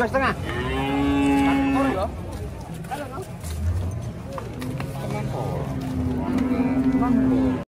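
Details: Bulls rampaging during unloading from a truck give two long, steady, level moos, the first near the start and a second drawn-out one toward the end, over a constant low rumble and clatter.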